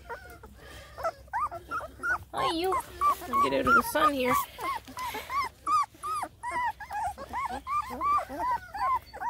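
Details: Five male Black and Tan Coonhound puppies on their first adventure out of the nest: a rapid stream of high, rising-and-falling whimpering yelps, about three per second, with a person talking briefly over them midway.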